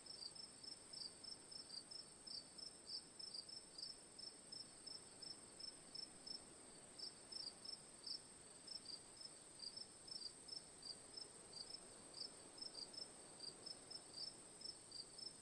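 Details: Steady cricket chorus of sharp, high, pulsed chirps repeating throughout, slightly irregular spacing, set against a constant faint background hiss.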